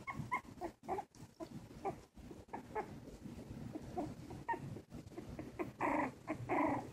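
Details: Two Silky Terrier puppies, 19 days old (2 1/2 weeks), eyes recently opened and taking wobbly first steps, give short squeaky whimpers in irregular bursts, growing into louder, longer cries near the end, over soft rustling and handling noise indoors.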